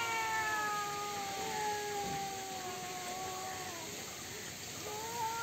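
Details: Fighting cats give a continuous caterwaul: drawn-out howling tones that drift slowly downward and wobble. A sudden rising, renewed wail comes near the end, over a faint hissy background.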